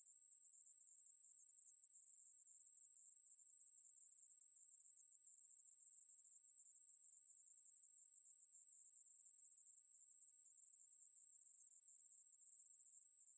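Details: Ruspolia katydid singing in a 2020 National Institute of Biological Resources recording: a sustained, piercing high buzz with a faint flickering texture, steady in pitch and volume throughout, nothing else audible.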